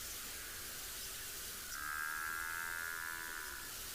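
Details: Amid a large buffalo herd at sunrise on a chilly July morning in Tswalu Kalahari Reserve, South Africa, an African buffalo gives a plaintive two-second bellow like a calf wanting milk, over wind or vehicle hiss.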